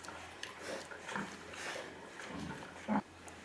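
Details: A few remaining domestic pigs, small ones and one or two big ones, give short, rough grunts amid the low hum and clatter of a farm building, one resting under straw.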